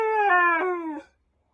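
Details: A male Siberian husky "talking" during a howling session gives a short, tonal howl that starts higher and slides gently downward.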